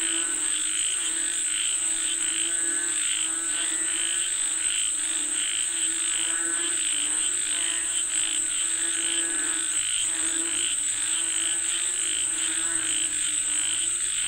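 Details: Frogs calling for rain: a dense, continuous chorus of repeated croaks over a constant shrill high-pitched buzz, with bursts of calling swelling every second or so.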